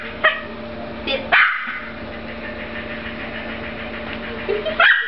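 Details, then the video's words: Jack Russell Terrier at play with a frisbee, letting out a few short, sharp yips near the start and end of a brief stretch, separated by quieter moments over a steady musical background. "Jack Russell Terrier plus Frisbee equals Family Fun"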